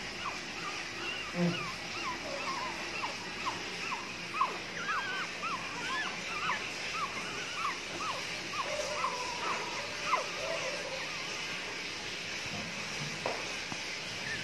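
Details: Nine-day-old tricolor Jack Russell Terrier puppies squeaking: rapid, thin, rising peeps repeated many times in a busy run, with people talking and music in the background.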